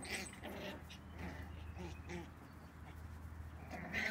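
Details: Three puppy siblings playing outdoors, running around energetically and sometimes squabbling; short high whimpering yips come in scattered bursts over a steady low background hum.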